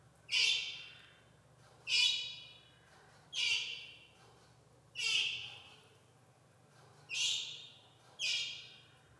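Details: Young jaguar greeting with a series of six loud, high-pitched squeaky cries, each starting sharp and trailing down, spaced about one and a half seconds apart over faint low hum.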